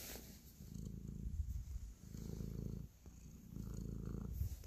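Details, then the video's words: Cat kneading and purring affectionately; steady low buzzing purr comes in three broad waves, each lasting over a second, separated by short quieter dips between breaths. "5 mins ASMR Cat Purr, Kneading and Love"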